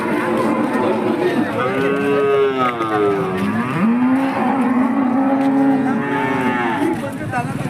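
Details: Hallikar cattle at the KG temple cattle market in India, lowing in long drawn-out moos that bend up and down in pitch, two overlapping calls across most of the stretch, with market chatter and background noise.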